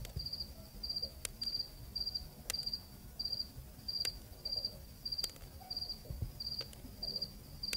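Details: Night cricket recorded in Zambia, a cool African night: bursts of rapid high trilled pulses repeating roughly every half second, over low murmuring ambient noise and occasional sharp clicks.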